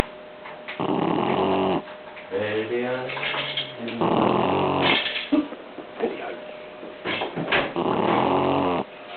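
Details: Blue Shar Pei puppy, 11 weeks old, asleep on a person's legs after a long day in the sun, snoring: harmonic, rasping breaths about every three and a half seconds, with quiet human talk between snores.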